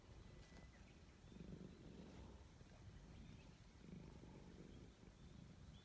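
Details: Stroked gray stray cat purring with pleasure, a low, buzzing rumble that rises in two stronger swells amid quieter stretches, with light background hiss.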